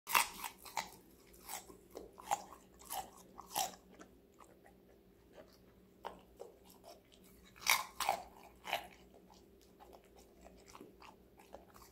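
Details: Dog crunching vegetables in a small indoor room, with sharp irregular bites and chewing crunches, no barks or other animal vocal sounds heard.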